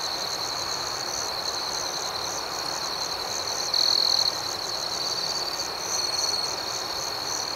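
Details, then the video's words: Crickets sing at night in a dense, high-pitched chorus of steady trilling and fast chirp pulses, with a louder note near the middle and a softer swell toward the end. "Soothing Cricket Sounds"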